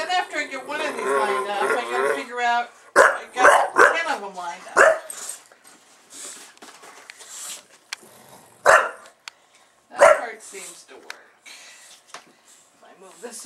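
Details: Male pet bulldog reacting excitedly to a recording camera: a person talks at first, then a quick burst of several sharp barks, followed by scattered single barks and softer grumbling amid background voice.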